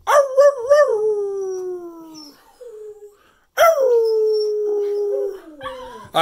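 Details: ['Duncan the cocker spaniel howling at Christmas 2019 in New Jersey. A trembling opening wail slides down into a long fading howl, then a second sustained howl starts after a pause and ends with a sudden sharp noise.']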